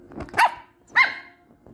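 A miniature schnauzer puppy gives two sharp, high barks about half a second apart.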